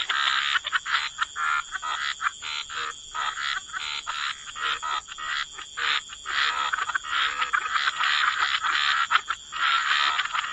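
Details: Croaking frogs at the waterside form a busy, rasping chorus of short overlapping pulses that rise and fall in uneven waves, with a continuous high tone behind.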